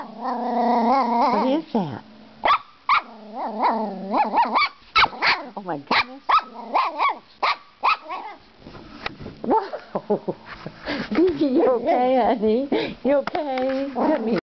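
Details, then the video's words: Playful six-month-old female Brussels Griffon puppy barking at the camera, sharp yaps and whiny, growly vocalizing mixed with a woman's voice speaking to her throughout, barks coming in uneven rapid clusters. "My little Beans barking at camera"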